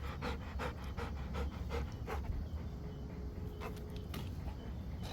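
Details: Rottweiler panting while catching a ball: a quick run of breathy pants, about two to three per second, over steady low rumbling background noise.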